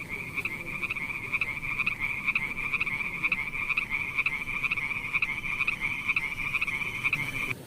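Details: Frogs at night give a continuous high-pitched trill, punctuated by sharp pulsed croaks that recur about every second throughout, with no other sounds standing out.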